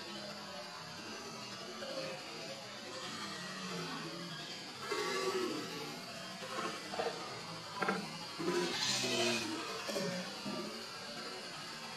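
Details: Music plays with a few soft voice-like sounds and no clear animal calls.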